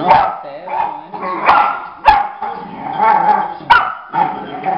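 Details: Adopted female pit bull puppy Paty, seeing herself in a mirror for the first time, barks at the reflection: loud, harsh, tonal barks roughly every half-second to second, with faint Spanish talking underneath.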